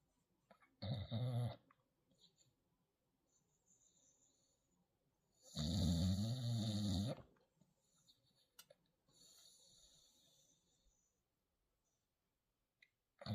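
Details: Young dog, tagged as pit puppy and bulldog, trying to sleep; two loud, deep, rattling snores about five seconds apart, each lasting one to two seconds, with quiet breathing between.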